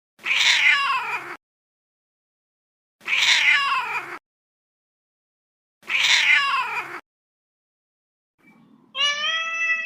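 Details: Little kitten meowing: three harsh, rough meows spaced about three seconds apart, followed by a cleaner, higher, tonal meow at the end.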